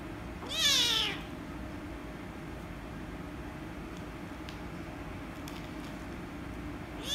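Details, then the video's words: Rescue kitten, angry when petted, gives one brief falling meow near the start, then quiet room noise with a few faint clicks and the start of another cry at the end. "The Rescue Kitten Angry And Meowing Loudly If I Pet Her"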